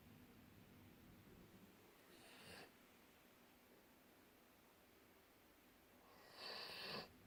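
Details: Dreaming golden retrievers snoring in their sleep, two hissing, airy breaths about four seconds apart, the second longer and rougher, against low indoor background hum.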